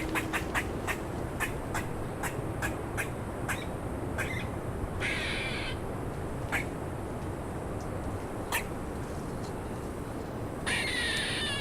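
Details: Eastern gray squirrel in Kentucky woods giving one of its many alarm calls, made when it sees or believes there is danger: sharp, rapid clicking chucks followed by harsher, nasal squawks.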